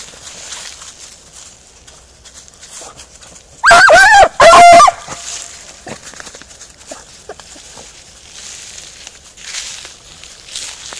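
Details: Beagle Harrier out in a ploughed field, letting out two loud, drawn-out bays close together near the middle, surrounded by a quiet rural background.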